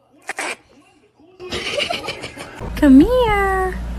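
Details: Domestic cat giving one loud drawn-out meow that rises, dips and then slides down into a long fading tail, after a few seconds of human speech and laughter nearby.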